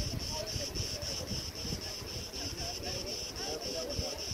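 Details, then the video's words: Crickets in Crete, at Preveli Beach in August 2020: a high insect trill broken into regular short bursts about four per second, with rumbling wind and rustling branches below. "RELAXING sounds and MEDITATION sounds of crickets"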